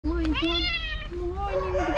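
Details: Hungry black and white female cat on the street meowing very loudly: drawn-out harmonic meows with a level tone, two calls in two seconds, over a low background rumble.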